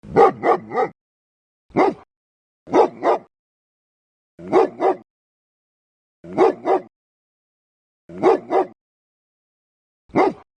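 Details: Loud, deep dog barks in quick bursts of two or three, each burst separated by about a second of silence, repeating steadily with a single bark near the end.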